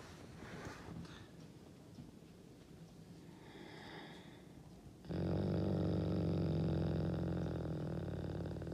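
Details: Akela, a Canadian wolf, growls to show his dominant character on 16 April, his birthday; after five seconds of quiet room noise a deep, steady pulsing rumble starts and holds to the end.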